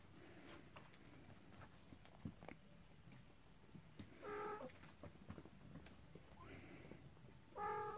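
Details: Cornish Rex and Scottish Fold kittens venturing out for the first time give brief, thin meows, two clear ones midway and at the end, with a fainter one between. Soft rustling and a low background rumble fill the gaps.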